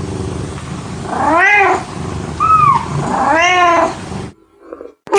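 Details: Kitten mewing, with two drawn-out, rising-then-falling meows about two seconds apart and a thinner, softer mew between them, over steady background hiss.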